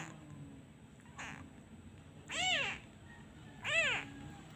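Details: Abandoned kitten that misses its mother, crying each time a hand is removed: a faint first mew, then two loud, arched, harmonic meows about one and a half seconds apart, over low background hum.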